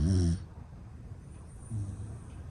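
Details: A sleeping male standard Dachshund, born February 2018 and weighing 9.8 kg, snores with a deep, rattling rumble, then a softer second snore.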